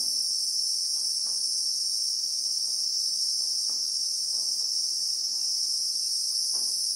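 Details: Christmas beetle (Anoplognathus) in South African bushveld with acacia trees and sand, recorded in real time: an unbroken, shrill, high-pitched drone holding steady in two bright bands at constant loudness, with a few faint low taps beneath.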